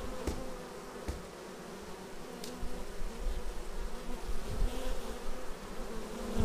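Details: At the entrance of a beehive, bees arriving produce a continuous low humming drone with a few sharp ticks, growing louder in the last second as one bee buzzes close by.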